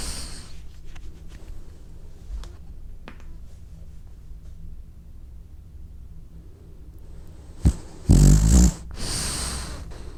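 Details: French bulldog snoring while sleeping and dreaming: low rumbling breaths through most of the recording, then a sharp loud snort and a burst of harsh broadband noise near the end.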